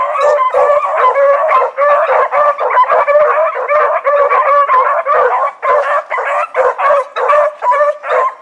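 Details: Blackreek pack dogs Choco, Dino, Johnny Ringo and Mingo, on an evening run dated 16 August 2014: dense, nearly continuous baying, harmonic howled barks from several dogs layered together at close range.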